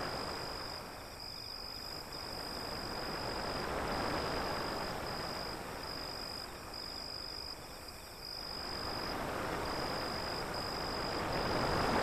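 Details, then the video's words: Crickets beside an alley near the sea, a steady high pulsing trill with brief gaps, running beneath loud, surging waves that swell and fade throughout. "Waves beyond the Alley and Crickets Sound"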